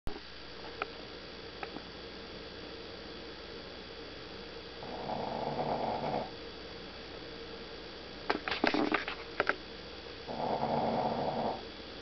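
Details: Sleeping dog snoring indoors, with two drawn-out rasping breaths roughly five seconds apart over a steady low hum, plus a few brief clicks and taps in between.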